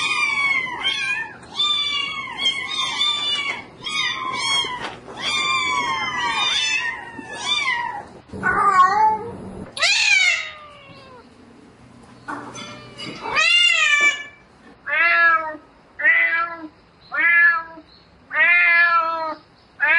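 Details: Calling for a mate at night, a domestic cat gives a rapid series of short meows about twice a second. Longer, drawn-out wailing calls follow, then evenly spaced meows roughly once a second, over faint room hum.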